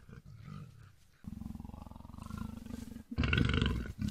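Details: North Chinese leopard pair, a male and a female, filmed mating in July in Tieqiaoshan nature reserve, Heshun County, Shanxi, China; deep rhythmic rasping pulses build into a loud harsh roar near the end.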